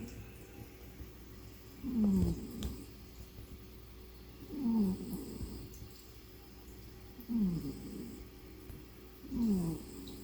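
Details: A tired male house cat snoring like a human while resting at home: low, rough snores that fall slightly in pitch, four breaths about every two and a half seconds, with quiet pauses between them in a small indoor room.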